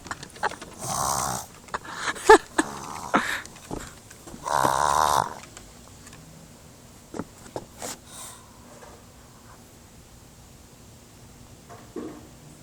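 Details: Pet pug indoors making funny nose noises: bursts of rough, breathy snorting and snuffling in short clusters, loudest near the start and around five seconds, then scattered quiet sniffs.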